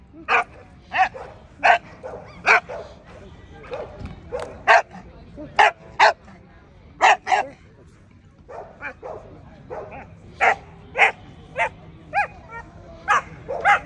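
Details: Barking at the 2024 ADBA Tristate American Pit Bull Terrier conformation show, 12–18 month female class: crisp, short barks repeating roughly every half second, with a brief pause midway, against background voices.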